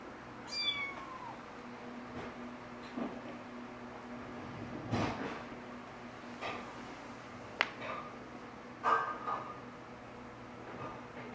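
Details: Orange three-week-old foster kitten climbing and sitting on a golden retriever indoors gives a single thin, high mew sliding downward near the start, followed by a quiet room with soft knocks and clicks.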